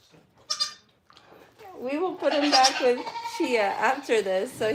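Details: Goats at The Willful Goat Farm & Home: after a quiet start with a brief high squeak, overlapping wavering bleats rise and fall continuously from about the second second onward, with several voices calling over one another.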